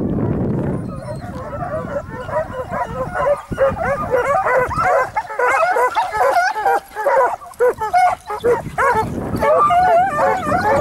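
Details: Segugio Italiano hound, Sofiko, on a hare hunt at Evros near Lagos on 12 June 2021, baying continuously in rapid overlapping yelps and bays, a dense chorus of voices with brief breaks around four and eight seconds.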